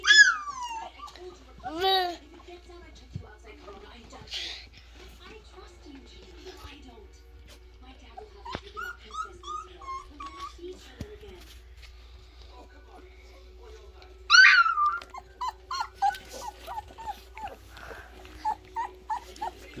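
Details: Alaskan Malamute puppies whimpering indoors: high, descending whines with bright harmonics come in short bursts at the start and again in a cluster later, while a person talks softly between them and the room stays otherwise quiet.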